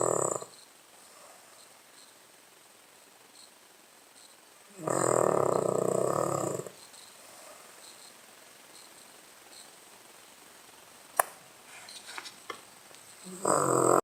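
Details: Blenheim-patterned Cavalier King Charles Spaniel called Charlie, snoring as it often does; loud rasping snores about two seconds long come roughly every eight seconds, separated by quiet breathing and a sharp click.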